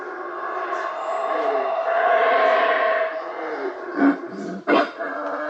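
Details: Guatemalan howler monkey in jungle-like forest near Isla de Flores, northern Guatemala, howling from the trees right above the recorder: a long, hoarse roaring howl followed by a few short guttural bursts; another howls elsewhere nearby.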